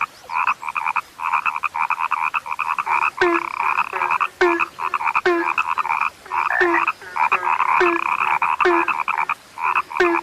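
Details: Croaking from a frog called rare: long chains of fast buzzy pulses in two stacked bands, regularly cut by click-like onsets that drop into a short low tone.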